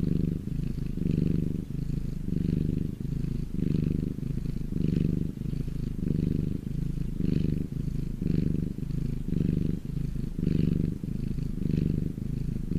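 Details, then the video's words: Purring domestic cat lying in the sun, a continuous low throaty rumble swelling and easing in regular breath cycles, close and clear. "my cat purring in the sun"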